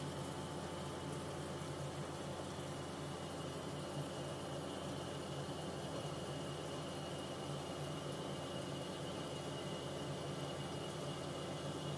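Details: Steady indoor hum and broadband hiss with tonal electrical lines, and no animal voice.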